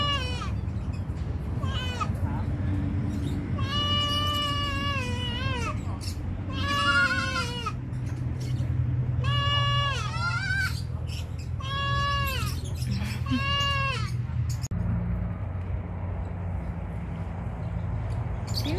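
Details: Pygmy goats bleating: about five quavering, nasal bleats, each roughly a second long, with wavering pitch, spaced a few seconds apart amid ongoing human speech and a steady low hum.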